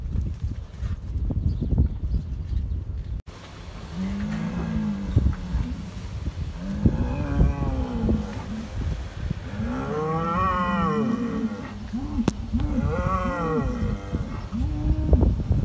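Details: Hereford bulls fighting, New Zealand dairy farm: after a low rumbling start, repeated bellows and moos come in quick succession, some short and arched, others rising and strained, over steady low scuffing and background rumble.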